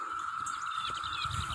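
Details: A cicada, filmed up close outdoors as rain approaches, holds a steady, unbroken mid-pitched drone, with faint higher chirps (a bird chirps nearby) and light rustling underneath.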